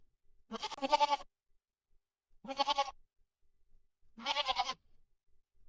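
A goat gives three wavering, nasal bleats, each under a second long, with short pauses between.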